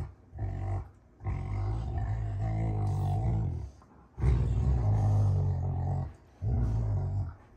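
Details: Rottweilers June and Kenai wrestle in play, giving low, throaty growls held for two to three seconds at a time, separated by short quiet gaps, the rumbling steady and deep inside a small room.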